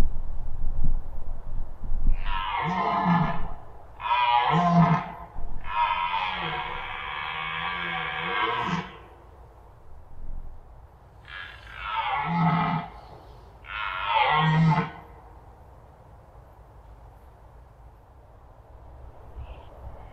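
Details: Red deer roaring in the Masovian forests: a series of deep, rough, drawn-out bellows in bursts, one long sustained roar among shorter ones, then several seconds of quiet low rumble.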